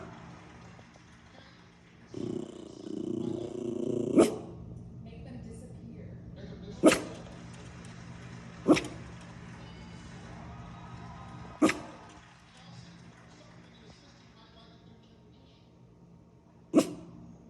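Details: Paisley, a female miniature schnauzer, protecting her turf: a low rumbling growl, then five sharp single barks spaced a few seconds apart, with quiet background between them.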